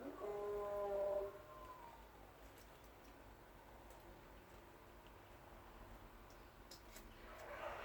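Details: Young kittens, still new to outdoor noises and quick to run inside at any sound, give one drawn-out harmonic meow lasting about a second that falls in pitch at the end. Quiet background with faint clicks follows.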